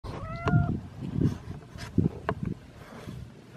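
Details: Domestic cat waiting at the door and demanding attention: a single short, clear meow with a steady tone early on, followed by several dull thumps and knocks.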